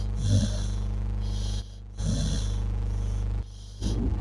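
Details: Sleeping dog, perhaps dreaming, snoring with rough low rattling breaths that recur roughly every two seconds over a steady background hum.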